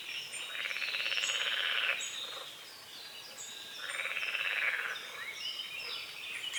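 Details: Frogs croaking at dawn on a small lake at the forest edge under morning fog: two swelling bursts of pulsed, rasping chorus, each lasting about a second, with thin bird chirps and whistles scattered above.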